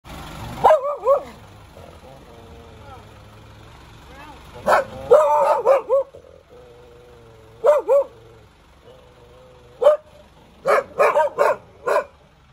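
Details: Dog barking in short bursts, some single barks and some quick doubles or triples, with quieter whining tones between them and a low hum underneath.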